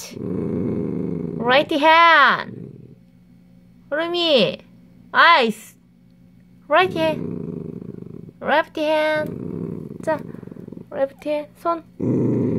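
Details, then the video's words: Dachshund guarding a dog chew with intermittent gravelly growls between a person's Korean commands to give a paw and stop raising its fur, growls recurring every few seconds. "닥스훈트 미친 으르렁"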